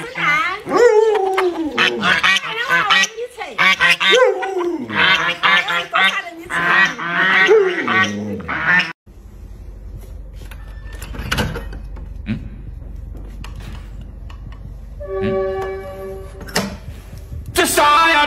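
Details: Luoluo, the Alaskan Malamute, answers its bedridden owner with a run of bending, wavering woo-woo howls for several seconds, then quiet room noise with rustling and a brief tonal beeping sound.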